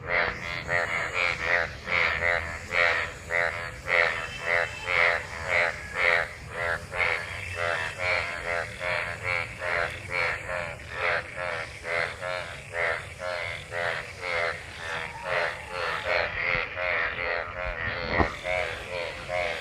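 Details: Many frogs gathered in rainwater after monsoon rain, calling while mating; dense overlapping chorus of harmonic croaks pulsing roughly twice per second, several callers at once, steady throughout.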